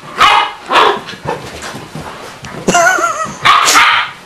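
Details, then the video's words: Splodge, a Springer Spaniel puppy, at play with Aramis, a big Borzoi; a few loud barks, then a higher wavering yelp and a final bark, all within a few seconds. "Splodge (Springer Spaniel Puppy) V Aramis (Borzoi)"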